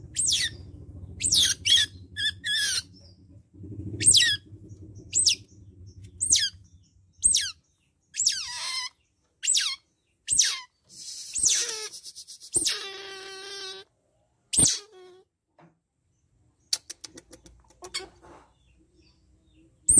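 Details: Young otter squeaking during bath time: a series of short, sharp, high-pitched squeaks and chirps, roughly one per second, with some longer tonal whines and brief quiet gaps between bursts.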